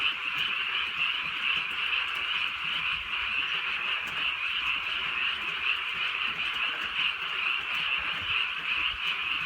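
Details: Countryside frogs croaking through a drizzly night, a thick, constant wall of fast, rattling high-pitched calls with no pauses, with light rainfall hissing quietly in the background.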